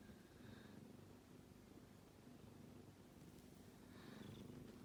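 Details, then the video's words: Kitten snoring in its sleep, a quiet continuous low rumble with soft breathy swells near the start and end, otherwise a calm indoor setting. "子猫のいびき a Kitty is making a noise when he sleeps"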